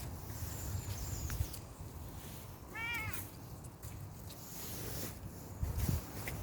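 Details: One clear meow from a Bengal kitten on an outdoor walk: a short, harmonic, gently arched cry near the middle, set against constant low wind-like rumble and a few faint high chirps.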